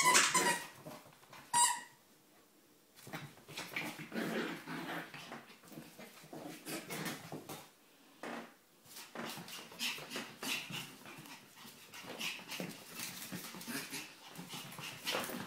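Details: A 13-week-old female Bichon Frise puppy gives high, thin whimpers and a couple of sharp yips indoors.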